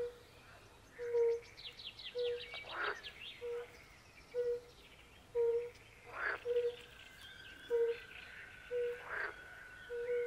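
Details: Fire-bellied toads (Bombina bombina) keep up gentle, low, steady notes about once a second beside a forest pond. Pool frogs answer with crackling bursts, and a long thin whistled tone runs faintly behind them.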